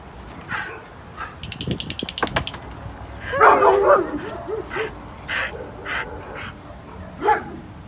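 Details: Samoyeds rescued from a Shanghai slaughterhouse and now ready for adoption give short, scattered barks and high yips. Rattling clatter comes early, and a louder burst of calls follows in the middle.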